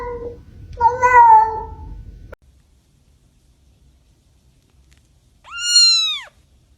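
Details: Domestic cat in a funny cat sounds ranking, with a person calling hello; a wavering meow near the start, then after a pause a clear rising-falling high meow with strong harmonics.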